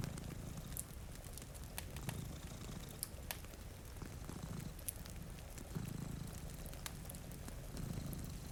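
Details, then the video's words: Two cats sleeping in front of a rainy window purr in a low, steady rumble that swells roughly every two seconds, with sharp crackles from a fireplace and soft rain patter around them. "Purring Cat"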